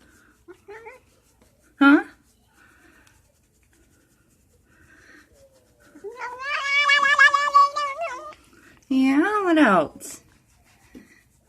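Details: Cat being scratched gives a long warbling, trembling yowl and a later rising-falling cry, between quiet stretches with a brief sharp sound and faint speech.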